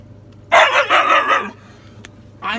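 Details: Sable the Siberian Husky, a female, answering back when told to be quiet with one long, wavering, grumbling howl lasting about a second, followed by a short pause and the start of another vocal burst.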